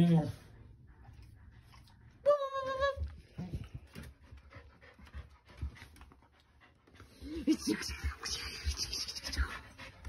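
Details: Kumo, a fluffy Keeshond, overjoyed that his owner has come home and giving her an eager welcome indoors; one clear high, wavering whine with panting and snuffling around it, a voice talking, and clatter near the end.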